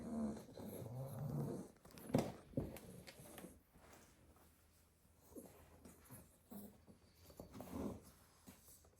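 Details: Staffordshire Bull Terrier puppies asleep in a basket indoors after a full day playing in the garden; low, uneven snoring and snorting breaths, with rustling as the pups shift, quieter toward the end.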